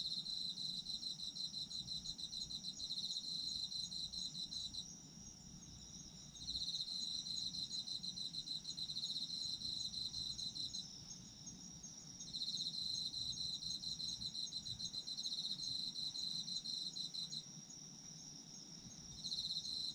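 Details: Autumn insects calling in long bouts of fast, high pulsed chirps about five seconds each, separated by short quieter gaps where only a thin steady trill continues.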